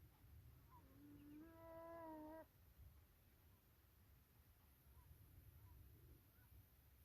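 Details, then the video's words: Wild beavers swimming around for about ten minutes, calling to each other while a person watches nearby: one drawn-out, nasal whine with rich overtones, lasting about a second and a half, over a low rumble of water and wind. "Beaver's making sounds"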